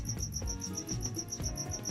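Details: Cricket hidden somewhere in an indoor recording room, chirping in the background. A high, steady pulse repeats about five times per second in an even train over low room hum.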